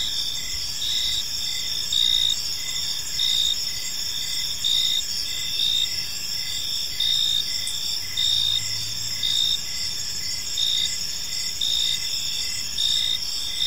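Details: Crickets at evening in a park, high steady trilling chorus punctuated by regular louder chirp bursts roughly every second, with a brief faint low hum midway.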